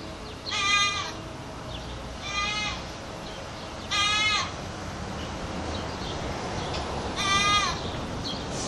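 A goat yells with loud, strained bleats that quaver and break as they go. Four calls come at uneven intervals of about one and a half to three seconds, over a steady low background hiss.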